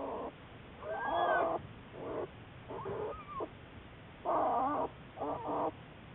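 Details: Juliet, an American black bear followed by Wildlife Research Institute biologists, March 1, 2014: short, rough, harmonic cries in uneven bursts, some wavering upward, separated by brief gaps over a hissy background.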